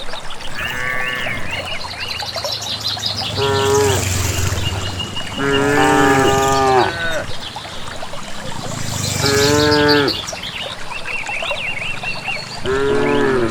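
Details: Herd of village cattle heading to grassland pasture on their own, several cows mooing in turn roughly every three seconds, some calls long and bending, others short, over a steady background of chirping birds.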